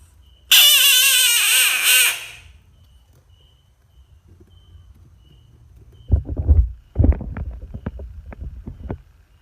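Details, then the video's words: Screaming frog giving one loud harsh harmonic cry of nearly two seconds, wavering and slightly falling, followed by bursts of rustling and knocking handling noise. "Screaming frog funny frog sounds"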